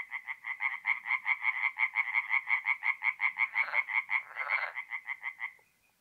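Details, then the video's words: Tree frogs at a north-east Italian forest pond on an April night: a quick, regular train of harsh croaks, about three per second, with a second rough call overlapping, then stopping abruptly into quiet. "relaxing forest pond by night with singing tree frogs"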